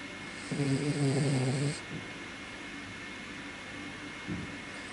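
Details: Senior toy poodle father Ippo asleep and sprawled like a mop, his nose sometimes blocked: one drawn-out, buzzy, tonal snore lasting about a second, then quiet breathing and a faint short snore near the end.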